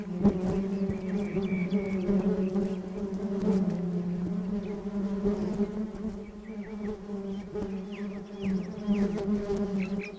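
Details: Honeybees collecting from a flower bed hum in a steady, low, continuous drone, with faint bird chirps in the background.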